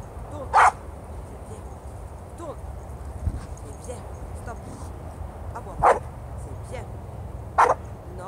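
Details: Hakan, a Staffordshire Bull Terrier, during a training session: three short, sharp barks, one early, then two more near the end about two seconds apart, over a steady low hum with faint voices in between.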